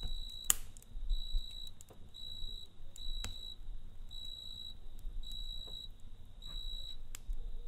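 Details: Cricket chirping at night beside a campfire; short, high, trilled bursts repeat at a steady pace, roughly one per second, while sharp crackling pops from the fire break in.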